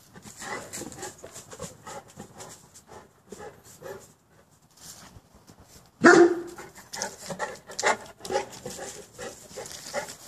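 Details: Boerboels panting in quick rhythmic breaths, broken by one loud, deep bark midway, followed by more heavy panting.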